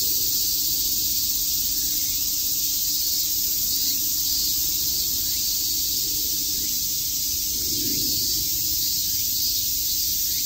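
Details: Summer cicada chorus at Shakujii Park in Tokyo, a continuous shrill sizzling drone without pauses; a soft low murmur rises briefly near the end.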